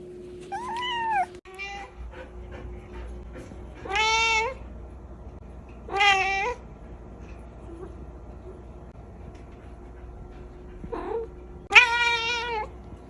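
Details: Kittens meowing indoors: a few short harmonic meows spaced apart, with louder drawn-out ones near four, six and twelve seconds, a faint steady hum underneath.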